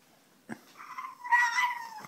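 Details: French Bulldog; begging whine; begging for a bone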